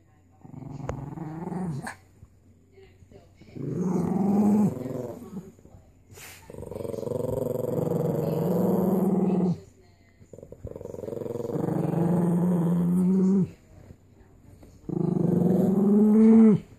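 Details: Chihuahua named Charmito, normally sweet, guarding a bone: long rumbling growls in five bursts of about two seconds each, some rising into snarling peaks, separated by short quiet gaps; faint voice in background.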